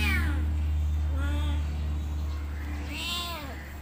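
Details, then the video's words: Domestic cat meowing repeatedly, each meow a bent, falling wail, the last one loud and high, set against a strong constant low electrical hum. "Cat meowing sound effect"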